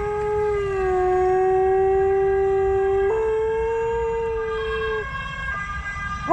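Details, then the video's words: Alaskan Malamute howling along with fire truck sirens on an evening walk in Halmstad, Sweden; a long, sustained, steady howl holding pitch for about five seconds with a couple of small pitch steps, blended with wailing sirens, then breaking off. "Alaska malamute howling at firetruck sirens"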